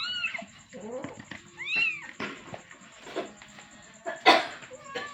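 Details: Kitten calling for its mother, giving a few arched meows early on that give way to scuffling, rustling noises and a sharp clatter near the end.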